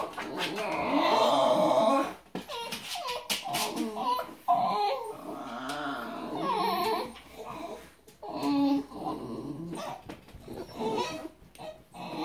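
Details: Basenjis crying at squirrels give wavering, yodel-like whines that rise and fall in long, overlapping bursts.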